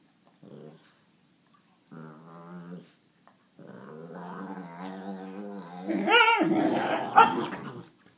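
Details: Alaskan malamute puppy, 17 weeks old, in a mood: short muttering grumbles build into a long, sustained woo-woo moan that rises to a louder, higher yowl near the end, with a final sharp outburst.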